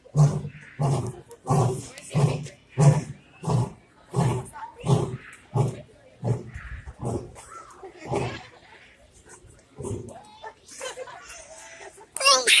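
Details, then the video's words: Lion roaring, heard by the recorder for the first time: a run of deep grunting roars about one per second that fade and slow toward the end, with a human sneeze at the close. "first time ever hearing a lion roar"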